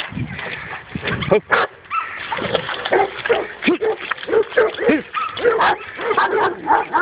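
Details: Dog barking on its first meeting with a wild boar: rapid, overlapping barks and yelps with short pauses, mixed with some speech-like sounds.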